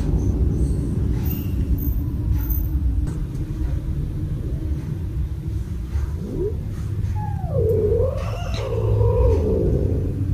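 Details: Cat meowing indoors while kittens play fight around a play tunnel, one kitten jumping at a hanging ball; a short rising note, then a drawn-out meow that rises and falls, over a steady loud low rumble.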